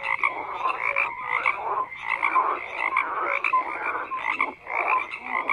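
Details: Dense frog croaking from many animals, harsh pulsed calls swelling in waves with a short dip near the end, and a few clear whistled notes mixed in.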